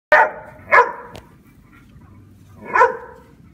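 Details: Dogs barking while attacking a giant grasshopper: three sharp, loud barks in quick succession over a few seconds, with a low background rumble.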